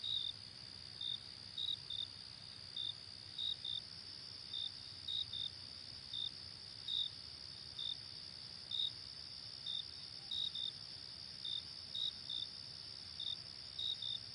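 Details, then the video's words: Crickets at night: a constant high ringing trill underneath, with short sharp chirps scattered irregularly, sometimes in quick pairs, across the whole stretch. "Cricket At Night Sound Effect"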